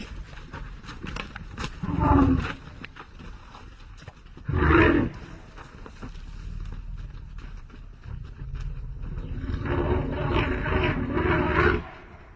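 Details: Elephant. Two brief, harsh roars burst out a few seconds apart from an elephant. After a pause comes a longer, growling bellow, deep and rasping, lasting several seconds before it stops abruptly.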